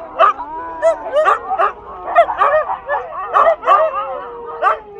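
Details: Several sled-dog huskies "sing" together, howling in long, wavering tones mixed with sharp yips and bark-like bursts.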